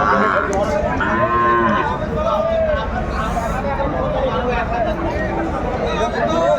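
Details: Sahiwal bull calves at a cattle market in Faridpur, Bangladesh, on 24 December 2024: a couple of short, harmonic moos rise out of steady crowd babble and speech in the first half, then fainter lowing continues under the chatter.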